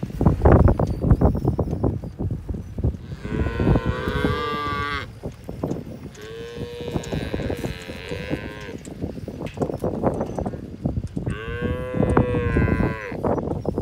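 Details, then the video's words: Herefords calving to registered Brahman bulls: three long moos, each about two seconds, evenly spaced with steady pitch, amid constant clattering and bumping noise. "Powerful Herefords Calving to registered Brahman Bulls"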